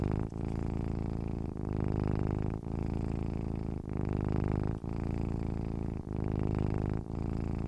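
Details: Relaxed, happy cat producing a deep humming purr; steady rhythmic rumble interrupted by short breath gaps roughly every second, phases rising and falling gently in volume, nothing else audible.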